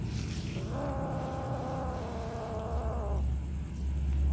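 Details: Long, level, slightly quavering cat call lasting about two and a half seconds, rich in harmonics, heard where a black kitten, a white kitten and other cats are eating; constant low-frequency background rumble throughout.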